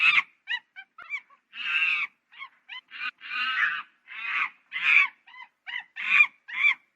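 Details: Monkey uttering a fairly quiet, steady mix of long rasping screeches and short high squeaky chirps, scattered irregularly with brief silences between them.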